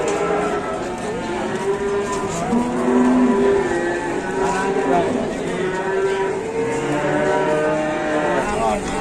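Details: Cattle at the Pon market in Ambarawa, Indonesia, described as rampaging; several long, low, wavering moos overlap amid a loud, dense market din with crowd noise throughout.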